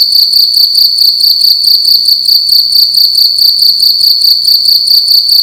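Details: Loud indoor cricket at night, producing a continuous piercing high trill broken into quick pulsed chirps at an even rhythm, about two bursts per second, over a quiet low background hum.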